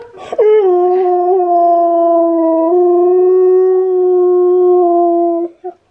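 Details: Husky singing while Key the husky listens and reacts to Steel's singing; one loud, steady, long-held howl lasting about five seconds, rich in overtones, with a brief yip-like onset and a clean ending.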